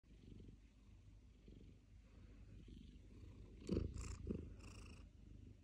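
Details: Pet cat purring beside a person playing PlayStation 5 games: a faint, low, continuous rumbling purr, with a few louder soft thumps and rustles near the end.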